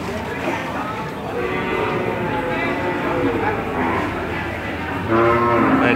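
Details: Young cattle at the Randudongkal market, Pemalang, Indonesia, coming off a truck among a crowd: a low, drawn-out moo breaks in at the end over steady chatter and market bustle.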